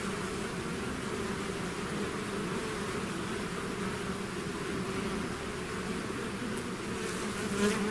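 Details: Bees swarming outside their hive make a constant layered buzz, a low steady hum throughout, with a brief brighter flicker of a passing bee near the end.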